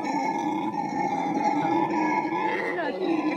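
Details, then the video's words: Howler monkey howling in a continuous, droning voice with steady stacked tones and a slightly wavering pitch, ending with a short downward slide. "Howler monkey vocalisation"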